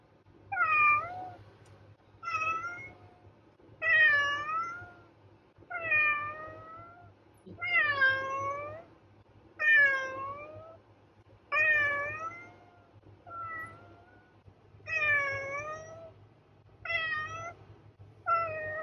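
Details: Cat repeatedly meowing, about a dozen clear, loud meows roughly every one and a half seconds, each bending up then down in pitch, over a faint steady low hum.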